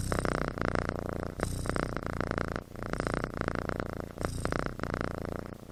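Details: Snoring from a sleeping kitten, a continuous grating purr-like rattle that swells and dips over several breaths, with a clear break near the middle.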